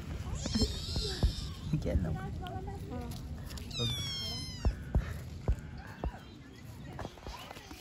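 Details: Street kittens give a high, falling meow midway through, amid Turkish speech, handling noises and faint rumbling.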